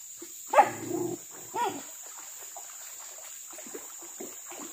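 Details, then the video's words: Village dogs hunting crop-raiding monkeys in trees by a river; two hoarse barks a second apart, followed by quieter scattered rustling and faint distant sounds. "Suara anjing berburu monyet di atas pohon dan pingiran sungai"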